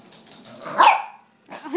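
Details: A pet chihuahua, called a puppy and playing with a squeaker toy, gives one sharp, loud bark, with faint human voices before and after.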